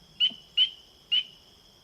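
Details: Spring peeper. Three brief, piercing notes from a spring peeper, each rising slightly, come about half a second apart in its aggressive territorial call. A steady high hum from other calling frogs runs beneath them.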